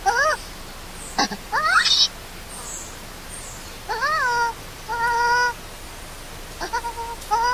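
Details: Left alone by its mother, a hungry newborn baby monkey, Lori, wails in loud, arching cries, some sharp and rising, others long and level, scattered with gaps across the recording.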